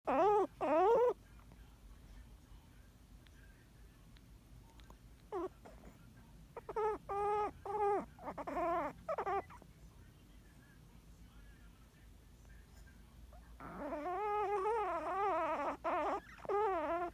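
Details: Yorkshire Terrier puppy indoors, snoring in its sleep with sounds like crying: short bursts of high, wavering whimpering tones at irregular intervals, then a longer sustained warbling stretch near the end, quiet room between.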